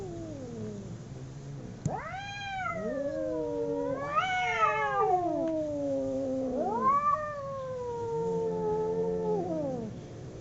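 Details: Two domestic cats in a fight: loud, strained caterwauling with abrupt rising yowls, wavering high wails and a long steady howl, the calls almost continuous.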